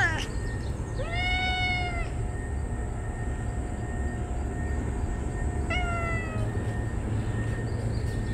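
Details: Neutered, ear-tipped stray cats greet their feeder on an extremely hot summer day, rubbing together and calling joyfully. A long level meow, then a shorter falling one several seconds later, against steady low background noise and a thin steady tone.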